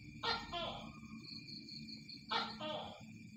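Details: Tokay gecko calling: two loud, harsh two-part croaking calls about two seconds apart, each a sharp burst followed by a lower grating note, over a steady background of crickets and low hum.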